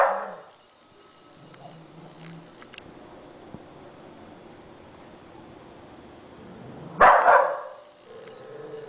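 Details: A Bull Terrier showing off while eating lets out a brief, sharp bark, falls quiet for several seconds, then gives a second, louder bark near the end over a faint background hum.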